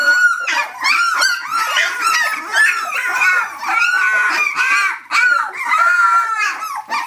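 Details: Seventeen-day-old pups from Brenda's litter crying for their mother: loud, continuous overlapping squeals and mewing whines, arched and bending in pitch, with a few lower grunts underneath.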